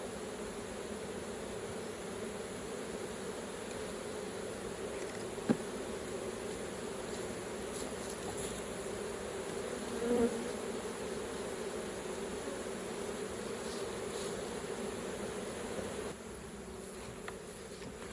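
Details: Hive of honey bees worked for raw honey collecting, giving a continuous droning buzz in a broad low band that holds steady throughout, with occasional clicks and a brief swell midway.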